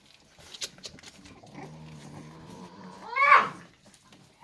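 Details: Staffordshire Bull Terrier puppies, five weeks old, nursing on their mother Rubis in a litter; a low murmuring whimper builds into one sharp, rising squeal near the end, with soft suckling noises around it.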